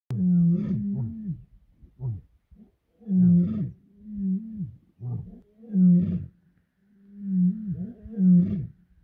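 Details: Wild lion roaring in misty dawn at iMfolozi, recorded during species monitoring: a series of deep, hoarse moaning roars with strong low rumbling tones, loud bursts roughly every two to three seconds, falling into shorter grunts between them, no other sounds.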